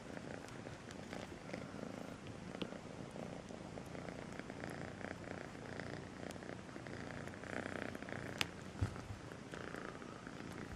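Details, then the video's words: Kitten called Melissa purring sweetly, a low, fluttering rumble running without a break, gently breathing in and out, broken near the end by two sharp clicks of nearby movement. "El gatito con el nombre Melissa dulce ronronea"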